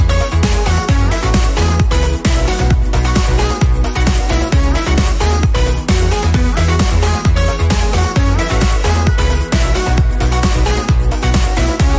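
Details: Loud electronic dance music with a steady thumping bass beat and layered synth tones throughout, and no animal sounds.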